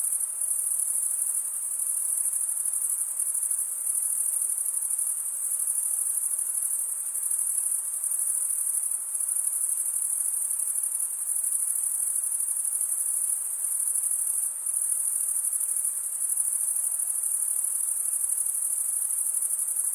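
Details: Crickets chirping in a dense, unbroken chorus: a shrill, very high shimmering trill that pulses rapidly and holds steady for the whole stretch, with only a faint hiss beneath and no other creatures or voices.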